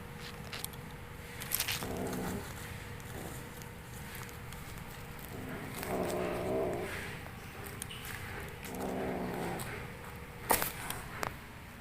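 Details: Kitten at play making odd vocalisations: three low, harmonic mewing or growling bursts around two, six and nine seconds, each lasting about a second, over a steady background hum with occasional clicks and taps.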